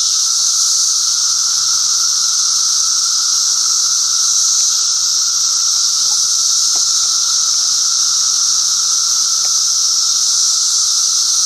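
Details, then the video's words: Brood XIII 17-year periodical cicadas emerging near Chicago in 2008, several species singing together; dense, unbroken high-pitched droning hiss with a fainter lower steady hum beneath, no pauses throughout. "Each kind appears a little different with a different song."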